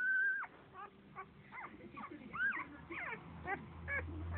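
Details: Seven-day-old Standard Poodle puppy at a dog café, sleeping: a string of thin, high squeaks and whimpers, each briefly rising then falling, about two per second, with a low hum underneath.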